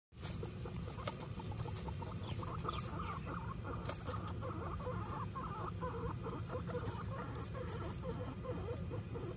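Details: Guinea pig family, mother Butter with her babies Lion, Tofu and Mochi, giving a steady run of soft, short clucking chirps repeated several times a second throughout, over a constant low hum.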